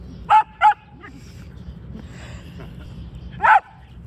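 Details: Whippet, described as happy, giving short sharp yips: two quick barks close together, a brief softer sound, then one more bark near the end, with faint background murmur.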